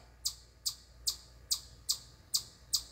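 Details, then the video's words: A chipmunk on a deck corner at camp chirps nonstop, sharp high chips repeated steadily about twice a second, seemingly unthreatened even when yelled at. "Chipmunk Won't Stop Loudly Chirping"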